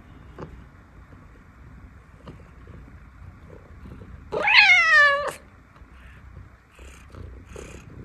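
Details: Scottish Fold cat asking for food, giving a single loud, drawn-out meow that rises then falls, lasting about a second, midway through otherwise quiet low background hum with a few faint clicks.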